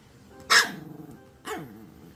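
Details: Maltese dog giving two short, sharp barks about one second apart, each starting as a bright burst and trailing off into a wavering, falling whine-like tail; faint room background.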